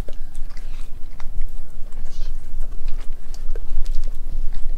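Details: Nala the Australian Kelpie–German Shepherd cross biting and crunching through raw beef and chicken pieces; loud, dense chewing with repeated sharp crunches and soft wet smacks.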